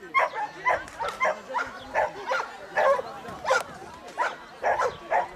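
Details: Giant Schnauzer running agility in 2013, handled by a 63-year-old: loud, evenly spaced barks about every half second, each a short harsh bark, steady throughout with little else heard.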